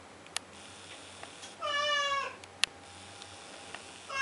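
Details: A male blue point Siamese cat gives one drawn-out, nasal meow at 2am, crying to get a door opened.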